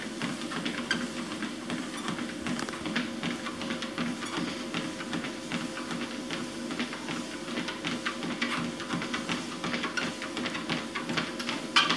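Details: Quiet instrumental music runs over a quick stream of tapping and clicking noises, and no animal can be made out.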